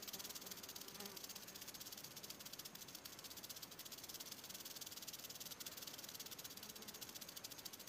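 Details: Close-up western diamondback rattlesnake, its rattle a continuous sizzling, high-pitched buzz with faint flickering pulses, steady in volume from start to finish.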